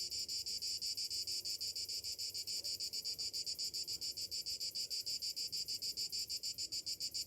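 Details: Cicadas singing on a summer morning, a shrill high-pitched buzz throbbing in fast regular pulses, roughly three or four each second, holding steady throughout.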